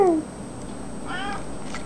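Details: A hungry cat asking for its food gives a short, clear meow that falls in pitch, then a softer, wavering meow a second later in a quiet room.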